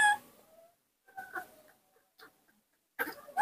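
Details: Baby monkey Nomi calling when his father is not nearby, kept indoors; brief clear whistled notes, one falling then later rising at the end, separated by short quiet gaps.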